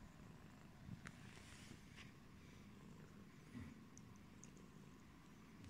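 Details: Pumpkin, a yellow British Shorthair, washes its face to a low, constant purr, with scattered licking or rubbing noises and light taps on top.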